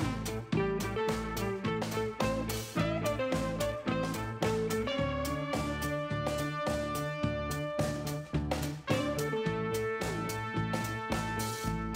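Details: Upbeat swing-style music with plucked guitar, brass and a steady rhythmic beat fills the whole stretch, with no animal voices.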